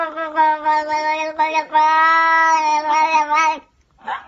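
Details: Cat giving a long, drawn-out, strained meow of about three and a half seconds, steady and nasal with rich harmonics, wavering slightly, then breaking off into a brief faint sound.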